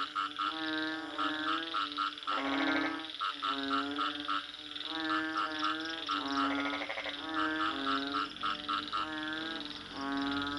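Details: Frog calling in steady bursts of harmonic, nasal croaks, several notes run together into short rolling phrases repeated about every two seconds, with a faint hiss in the background.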